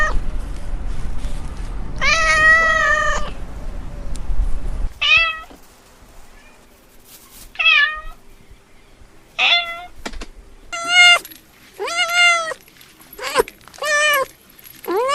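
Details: Cat making laugh-like vocalizations: a long wavering meow over low rumble, then a series of short, sharply bent meows repeated every second or two, some clipped, in a quieter room.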